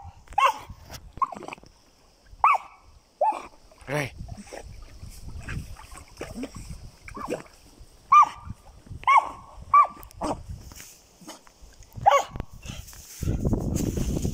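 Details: Repeated high yelping barks from a German Jagdterrier, irregular and sometimes in quick pairs, with rustling and handling noise between them and a burst of broadband noise at the end.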